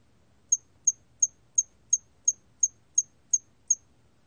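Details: Song of a hairy cricket, 2020 recording from South Korea's National Institute of Biological Resources: a regular series of ten crisp, very high, tick-like chirps spaced about a third of a second apart, background otherwise near silent.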